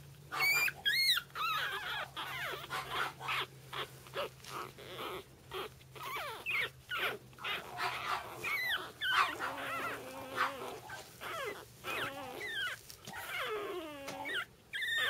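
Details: Pug puppy siblings whimper and yip in high, wavering, rapid bursts.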